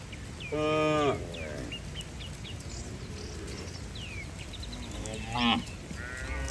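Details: Tame cows running to their barn in rain, one harmonic moo near the start and a shorter one toward the end, with faint bird chirps between over a steady background hiss.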